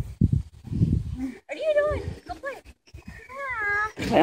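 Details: Havanese puppies at play give high, bending whines and yips in short bursts, some rising then falling, mixed with a person talking and other household noise.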